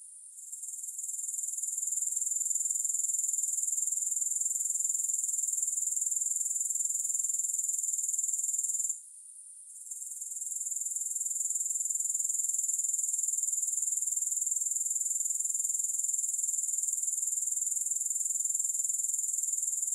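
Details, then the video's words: Grasshopper chorus as a soothing background with no music: a thin, very high, even trill that fades in at the start and breaks off once for about a second before returning. "Grass Hopper Sounds"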